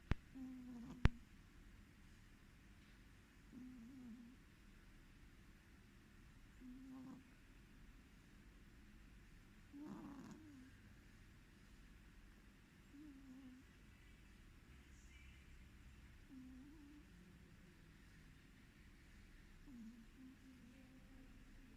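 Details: Sleeping cat snoring with low, rough breaths at irregular intervals of roughly three seconds, a sharp click near the start and a slightly louder huff around the middle.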